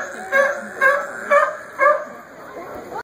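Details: A sea lion, among sea lions playing king of the hill on a rock, gives four harsh, honking barks, evenly spaced about half a second apart.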